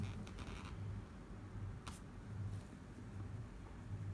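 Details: A tame, affectionate pet guinea pig in Japan purrs in a low, vibrating rumble that comes in short bursts.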